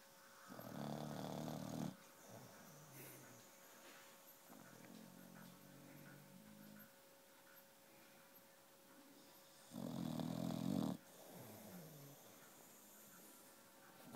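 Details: Puppy snoring while wide awake: two loud rasping snore bursts, each about a second long, separated by quieter snuffling breaths in a small indoor room.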